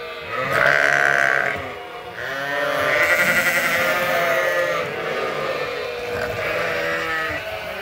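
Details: Flock of farmed sheep and lambs at Ewetopia Farms waiting for feed. Loud overlapping quavering bleats come in long drawn-out calls, one after another with short gaps, under steady barn noise.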